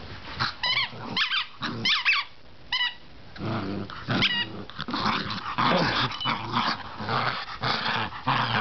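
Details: Indoors, a female bichon named Chibi is caught up in play with a toy while a family member tries to get it from her. High, thin whining yips come in quick bursts early on, then a steady, raspy growl takes over with soft rustling.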